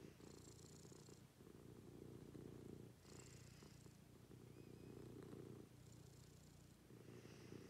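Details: Purring house cat in a morning routine: deep, even rumbling cycles of about one and a half seconds, alternating with short breathy pauses, accompanied by faint high-pitched hissing noise.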